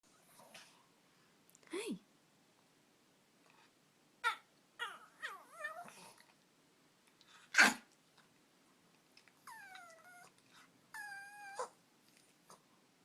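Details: Nicodemus, an excited dog that snorts, sneezes and burps; sharp snorting bursts and one loud sneeze-like blast, followed by high wavering whines repeated twice, with brief human voices in a small room.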